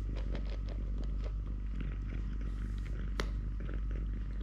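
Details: Totoshka, a male three-legged pet cat who lost a leg when his mother bit it at birth, purring steadily: a low continuous rumble with a single sharp click near the end, indoors.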